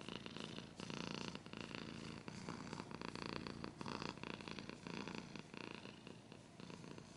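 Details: A cat purrs in a low, pulsing drone, largely overlaid by frequent loud broadband scratching and rubbing noises close by.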